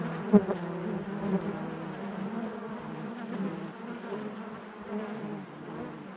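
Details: Honey bees buzzing inside their hive, a steady dense low drone with layered tones wavering in strength, one brief louder burst near the start.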